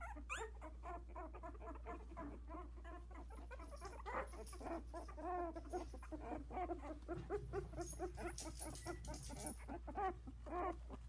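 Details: Havanese litter of four, 16 days old, taking first steps in the whelping box while one tries to escape. A continuous chorus of thin, curving squeals and whines, with a constant low electrical hum underneath.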